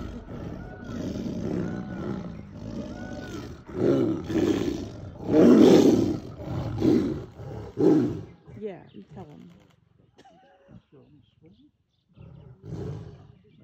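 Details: A tigress roaring during mating with a tiger in Bandhavgarh National Park, filmed by a guest: deep, rough, pulsing roars building to a loud peak around the middle, then tailing off, with people's voices in the background.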